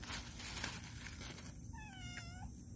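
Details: Orange Caramel, a cat, eating sardines, gives one drawn-out meow that slides slightly downward and fades after about a second, following a burst of rustling, crinkling noise.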